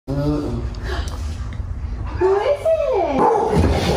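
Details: Pit Bull, Blaze or Ghost, reunited with its owners: after excited human talk, a high whine slides up and then down in wavering arcs, with voices continuing underneath.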